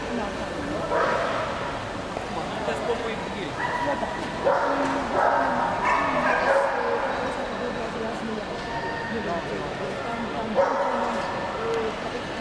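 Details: Akita at the 2007 CACIB international dog show in Poznań, giving loud, harsh barks in irregular bursts over a steady murmur of crowd voices and hall noise.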